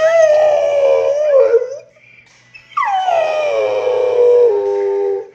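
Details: Pet dog 'singing' in a howl, two long wavering tones with a falling slide and a short pause between, praised as a pretty singer amid cheering.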